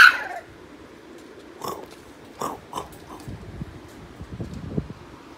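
French Bulldog puppies give a loud opening yelp, then short, whiny yips and grumbles of protest.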